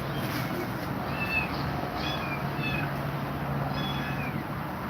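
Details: Cat said to be scared of two mother cats: a few soft, brief meows sliding up and down, partly buried under a low steady hum and broadband hiss.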